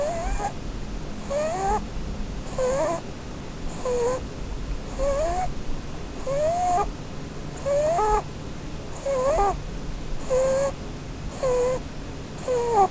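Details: Holland Lop doe sleeping under a Christmas tree, snoring while dreaming: about ten short whistled squeaks, rising or falling, one roughly every 1.3 seconds, each with a breathy hiss of air.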